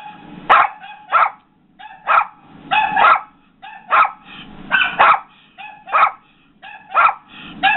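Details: Yorkie indoors barking at a dog barking on a computer screen: quick, bright yaps about once a second, some doubled, loud and clipped, over a faint background drone.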